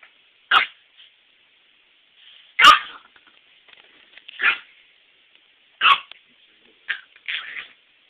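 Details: A Chihuahua barking indoors: five or six sharp, high yapping barks spaced one to two seconds apart, with quiet gaps and faint background sounds between them.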